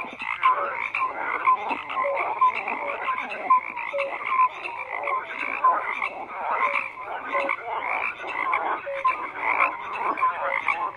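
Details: Steady night-time-like wall of croaking frogs, countless rasping calls layered together, punctuated by regular short piping notes roughly every half second across the whole stretch.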